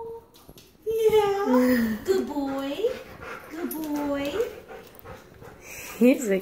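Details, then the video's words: A three-year-old Golden Retriever, excited on meeting a two-day-old baby for the first time indoors, gives high wavering whines that rise and fall in pitch, repeated in quick runs, with a woman speaking softly over them. "Golden Retriever Max meets baby sister!"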